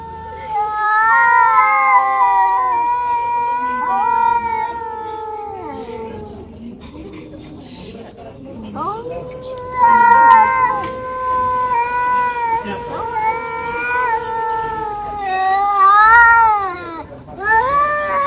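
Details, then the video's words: Quarrelsome domestic cat threatening a fight: continuous caterwauling with long wavering howls, a lower moaning stretch in the middle, then louder, warbling yowls rising and falling toward the end. "This cat wants to fight over time arguing"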